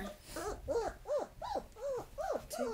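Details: German Shepherd puppies, part of a litter of four, whining in a series of rising-then-falling whimpers repeated about every third of a second, with a person's voice briefly heard indoors.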